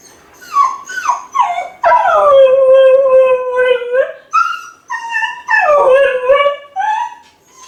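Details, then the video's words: Lonely Kai Ken left alone at home howls to call its family: short whining yelps, then a sustained howl sliding slowly downward for about two seconds, followed by further shorter falling howls and whines. "甲斐犬の遠吠え！🙀】留守番犬の鳴き声 ！狼みたいだけど寂しい声に切なさも感じる"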